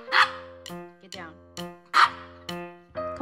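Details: A cranky, energetic Maltese dog indoors, after tearing a piece of its bed, gives sharp, high, yappy barks in quick bursts about every half second while being told to get down.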